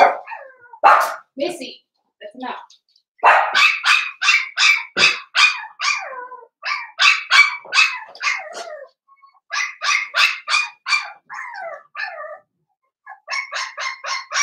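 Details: Five blenheim Cavalier King Charles Spaniel puppies in a home puppy pen at Red Barn Cavaliers. They give rapid bursts of high, sharp yips, several in quick succession, broken by short pauses and a few lower squeaks.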